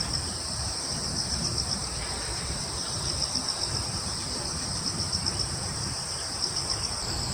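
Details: Woodland crickets on Yeongjong Island, Korea, forming a continuous high-pitched trilling chorus with faint rhythmic pulsing throughout, backed by a soft, low wind rumble.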